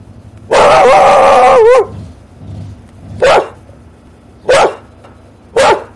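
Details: Dog giving one long, loud drawn-out bark lasting over a second, followed by three short, sharp barks spaced about a second apart against a quiet background.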